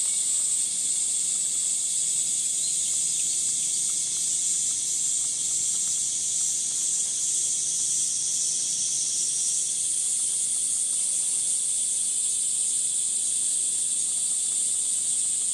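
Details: Cicada chorus on a 37°C summer morning, 23 July, in Gifu Prefectural Centennial Park, Japan, among sun-dappled trees: a sustained piercing high drone that shifts in tone about two-thirds through, with faint rhythmic pulsing underneath.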